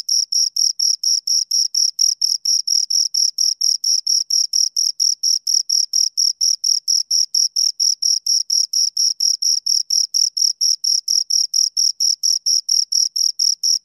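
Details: Close, high, metallic chirping of two crickets, rapid regular pulses repeating several times per second across the whole stretch, with no background sounds.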